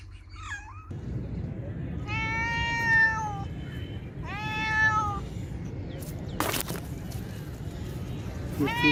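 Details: Meowing cats and kittens: a brief high mew, then two long, harmonic-rich meows held level for about a second each, a sharp click, and another meow starting at the end, over steady low background rumble.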